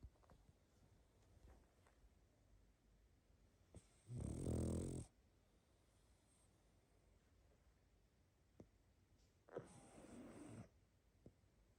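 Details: Pug asleep, giving a loud rough snore at about four seconds and a softer, longer snore near ten seconds, separated by faint snuffling breaths and small clicks against a low steady background hum.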